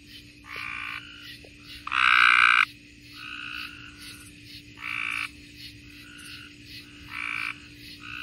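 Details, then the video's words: Several tree frogs in Mississippi trade short, reedy honks roughly every second or two. One caller is close and loud, the others quieter and further off, with a constant faint hum underneath. "Mississippi tree frogs"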